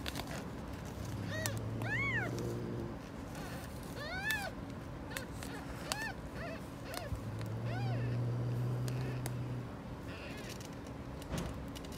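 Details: Angry stray mother cat on a street, guarding her kittens and keeping anyone from approaching: several high, arching meows about every two seconds, some in quick pairs, over a steady low mechanical hum.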